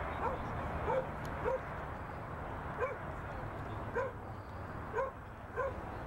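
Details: Two-year-old Border Collie Pyro barks while working cattle on his first outing with them, November 2016: short, clipped barks roughly every half second to second, about seven in all, over a constant low background hum.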